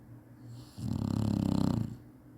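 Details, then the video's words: A napping Chinese Shar-Pei gives one long, loud, gravelly snore that lasts about a second. The sound is low and buzzing, and it fades out into quiet breathing. The dog snores like this out of habit. "cachorro roncando bonitinho chinese sharpei"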